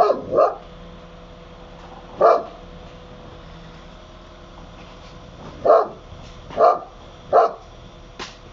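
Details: In Italy, the Akbash dog Barry barks repeatedly: a double bark at the start, one after a pause, then three evenly spaced barks roughly a second apart toward the end.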